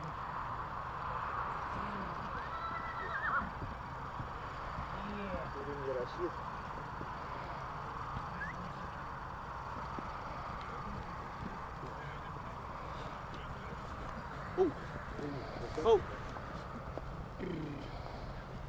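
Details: Stallions in Bucovina, Romania, recorded in 2022: a faint, wavering whinny rises and falls early on, set against steady human talk, hoof clip-clop and a low background rumble, with a couple of sharp knocks near the end.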